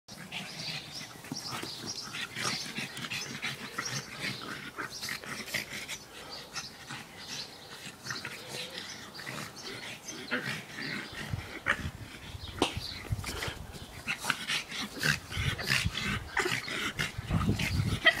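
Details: Pugs playing together, giving rapid, irregular snorts, grunts and huffing breaths, with a deeper rumbling stretch near the end.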